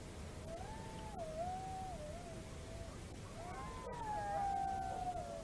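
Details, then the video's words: Wolves howling in Estonia on 27 December 2017: long, wavering tonal howls that dip and rise, one voice for about three seconds, then two or more voices overlapping in a brighter chorus, over steady low background hiss. "Kulgur Estonia 2017 12 27 Howling"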